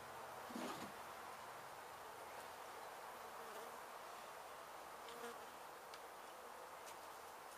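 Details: Honey bee colony being rescued from a demolition site in Mission, Texas, after construction crews struck the hive, with old comb being cut. An unbroken, thick buzzing hum of many bees, with a soft thump near the start.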